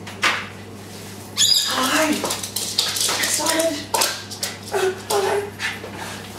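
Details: Japanese Spitz named Drifter, overexcited at an owner's return home, making short whimpers and rising whines in bursts while a person talks to it in a room, with faint clatter.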